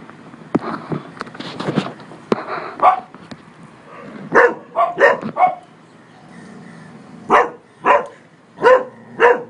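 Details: Cocker Spaniel named Polo barking at a man on a terrace: sharp, mid-pitched barks in clusters, a burst of three or four near the middle and four evenly spaced barks at the end, with a quieter noisy stretch at the start.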